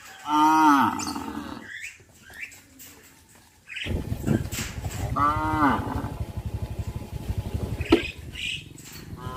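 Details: Herd of traditionally kept cattle walking towards a field: two clear, rich moos about four seconds apart, each bending downward at the end, over a continuous low pulsing rumble.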